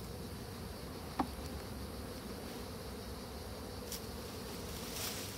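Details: Honey bees shaken out of a small hive box and set in front of the hive so they climb back inside; a soft, steady low hum of many bees with a brief click near the start and faint background hiss.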